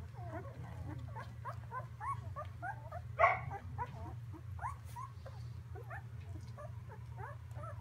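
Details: Young Samoyed puppies in a whelping box on Prince Edward Island, Canada, fill the air with a busy stream of thin squeaks and rising whimpers, one louder yelp midway, over a low constant hum.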